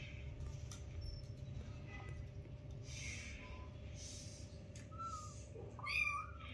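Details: Tiny newborn kittens with their mother, five in the litter: after quiet rustling, a short faint squeak, then a brief burst of thin high mewing near the end, over a constant low hum.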